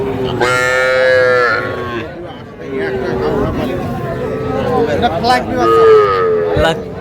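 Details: Sahiwal calves, small bulls and heifers, at a Faridpur cattle market in Bangladesh, 17 March 2025. A strong falling moo opens, followed by quieter overlapping calls and a second lowing near the end amid people talking.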